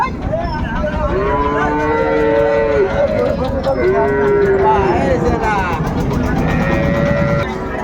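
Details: At Raniganj haat in Dinajpur on 30 May 2024, among cows with calves for sale, two long, steady moos sound one after another, each about one and a half seconds, with fainter lowing and market chatter behind.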